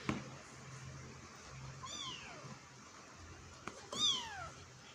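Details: Kitten meowing while trying to get out of a hole: two faint, high, downward-sliding meows about two seconds apart over a low steady hum and background hiss.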